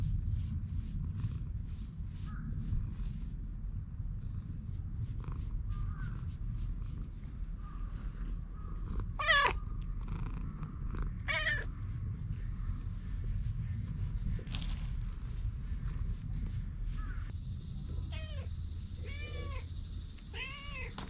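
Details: Stray cat filmed outdoors on a GoPro HERO8: after a stretch of low rumbling background, two drawn-out arched meows stand out, then a quick run of about five shorter meows closes the recording.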